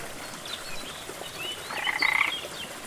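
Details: Frog by a rainforest waterfall producing one short grating, pulsed croak in the second half, mixed with sharp high whistled bird notes over a steady wash of falling water.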